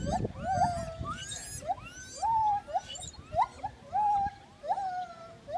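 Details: Gibbon song with quick rising whoops repeated roughly every half second, some drawn out into level wails, over a faint rumble.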